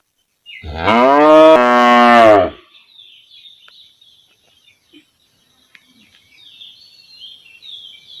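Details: Single long moo from a standing village cow calling her calf, a full-bodied harmonic bellow of about two seconds, followed by quiet with only faint, thin background sounds.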